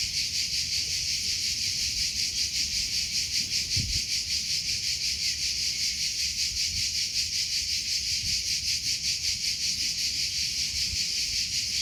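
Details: Cricket chirping in a natural outdoor setting: a dense, high, shimmering trill pulsing steadily at about two and a half beats per second, continuous throughout, with faint low rustling underneath.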